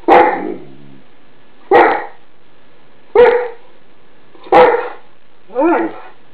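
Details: Indoor alarm barking by Mouse, a Greater Swiss Mountain Dog, directed at an iron left on the bed; five booming barks roughly every second, the last one breaking into a higher, whining yelp.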